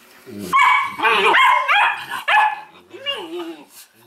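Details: Litter of Weimaraner pups bred from Indigo and Magnum, loud harmonic squeals and yips rising and falling in quick overlapping bursts, with a human voice alongside.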